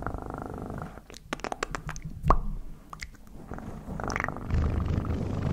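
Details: Domestic cat purring close to the microphone, a low rumbling pulse at the start and again at the end, broken in the middle by sharp clicks and taps from handling.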